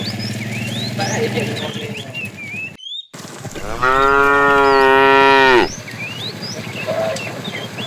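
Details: Bull from a herd of tame cows herded in the afternoon calls the female: a strong, steady, richly harmonic moo of almost two seconds, preceded by a low groan, with birdsong all around.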